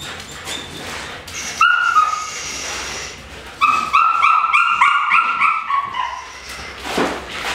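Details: A female Dutch Shepherd named Debbie, kept in Topeka, Kansas and noted for strong prey drive, lets out a quick series of shrill, rising yelps and whines, about three per second, after a few earlier squeals.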